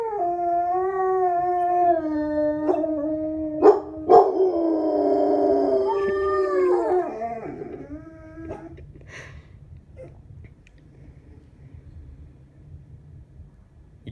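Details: Household dogs howl together, voices overlapping and wavering at slightly different pitches with a few sharp knocks, before the howling dies away into several seconds of near silence.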